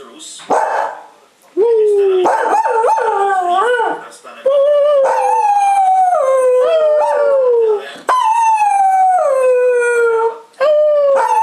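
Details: Female pet Cocker Spaniel in a sustained howling bout: several long, clear, mournful tones, each starting high and sliding gradually downward, with brief breaks and a few choppier yelps between them.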